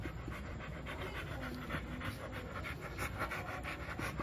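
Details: Milo, a two-year-old American Bully, pants in quick rhythmic bursts while wanting to play, a steady run of breathy puffs with a low background rumble.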